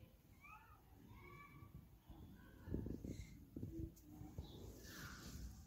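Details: Domestic cat giving a quick run of short meows, each a brief tonal call with a rise and fall, clustered in the first second and a half, then thumps and handling knocks over low background noise.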